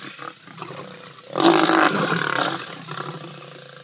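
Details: At Ol Donyo a grumpy older lion picks on a younger one. A single rough, throaty growl swells for about a second and fades into softer rumbling, with low background noise.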